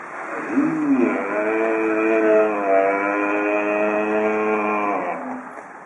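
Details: Red deer stag roaring in the rut, recording presented at a photo exhibition opening in Borovnica, Slovenia: one long, drawn-out, strongly harmonic bellow lasting about four seconds, steady then fading.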